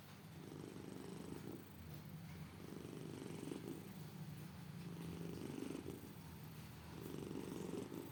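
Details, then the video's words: Sleeping domestic cat snoring; a steady low rumble rises and falls in breath-length waves, about four snores across the stretch, with faint room noise. "Kucing Lucu Mendengkur"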